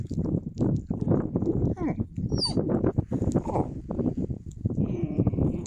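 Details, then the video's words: Yakutian Laika, January 2022, producing a continuous stream of rapid low grumbling pulses broken by brief higher squeaky slides, with no pause across the whole stretch. "Yakutian laika"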